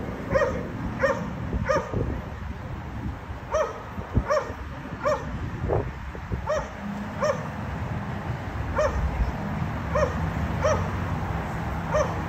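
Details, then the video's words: Repeated dog barking at a condominium, described as unbearable noise disturbing neighbours three times every day; crisp single barks at fairly even intervals, sometimes doubled, over a constant low rumble. "Disturbing noise by Dogs barking"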